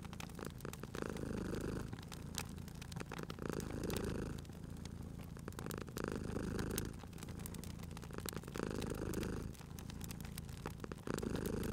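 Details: Domestic cat asleep by a crackling fireplace, purring steadily; deep, throaty rumble rising and fading in long breaths roughly every two and a half seconds while fire snaps and crackles sharply over it.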